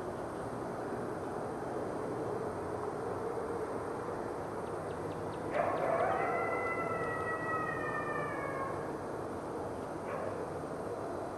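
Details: Captive critically endangered red wolves, including two nearly grown 9-month-old pups, howl with other wolves at the Wolf Conservation Center in South Salem, NY. A layered, harmonic howl swells in, holds steady and slowly dips over several seconds above constant broadband hiss.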